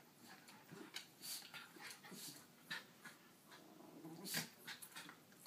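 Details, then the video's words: Two miniature schnauzers squabble over a shared dog bed indoors: 6-year-old female Ruthie holds her ground against 10-month-old puppy Jackson. Low grumbling growls sit under sharp scuffling clicks and rustles, in irregular bursts. "Schnauzers Battling Over Dog Bed"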